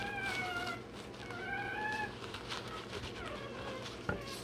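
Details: Day-old Rottweiler puppy having its tail and dewclaws done, giving thin, drawn-out squeals that hold level then dip, three in a row, over a constant background hum.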